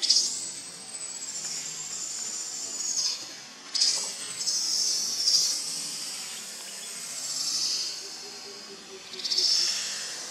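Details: Baby monkey in Cambodia, abandoned by its mother, crying loudly: high, thin, whining screams that hold long sustained tones, bend and arch in pitch, then break off and return in several drawn-out bursts.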